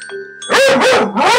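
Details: An eight-month-old puggle reacts to a television advert: faint electronic tones from the TV, then two loud, harsh, harmonic barks in quick succession.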